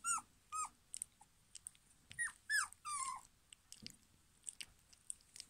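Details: Litter D of German Pinscher puppies, 2022, giving repeated short whiny yelps that curve downward in pitch, clustered in the first three seconds, followed by faint clicks and scuffles.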